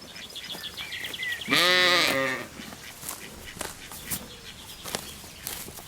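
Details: Lamb grazing in a cool green forest gives a single loud, wavering bleat lasting almost a second, with rich harmonics. Small birds chirp and whistle repeatedly before and after it against a quiet woodland background.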